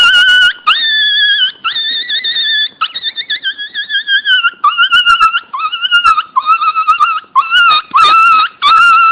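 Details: Pinscher puppy Teco crying very loudly: long drawn-out whines that climb slightly in pitch at first, then shorter, choppier wavering cries repeated in a steady run.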